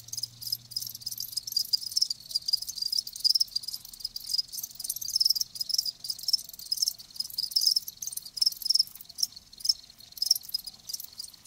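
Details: Chorus of live crickets, bright high-pitched chirps repeating quickly and layering over one another, with a brief low drone at the start.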